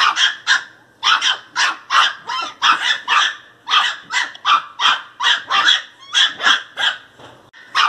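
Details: Angry Pinscher puppy yapping nonstop, high-pitched, sharp barks fired in rapid, slightly uneven series, around twenty in eight seconds, a few rougher, growly notes mixed in.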